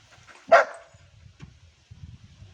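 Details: Pet Labrador Retriever named Ruby 'talking' with a single loud, clipped bark near the start, followed by quiet low thumps and faint rumbling for the rest of the moment.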